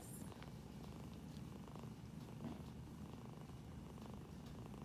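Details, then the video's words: Female foster kitten, rescued from highway construction rubble and described as not feeling well, purring while being petted on the belly; a soft, steady, low rumbling purr runs continuously throughout, quiet and close. "First Purrs"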